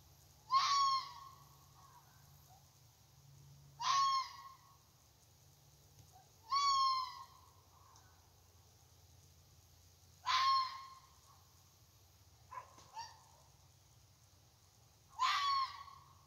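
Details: A red fox in a side yard at night barks persistently: harsh, hoarse, single raspy yelps repeated every few seconds.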